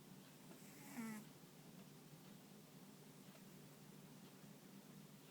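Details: Ponta the dog, fast asleep indoors and sometimes twitching paws and ears, gives a single short, droning snore near the start, followed by several seconds of soft room hiss.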